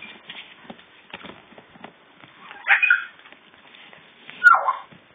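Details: Young puppies a few days before going to new homes give two short, high, whining yelps about two seconds apart over faint rustling and scattered soft ticks.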